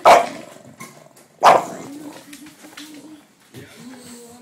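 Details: Female English Bulldog indoors, startled after someone touched a laundry basket, starts barking; two sharp loud barks about 1.4 seconds apart, followed by low droning growl-like sounds and faint household noise.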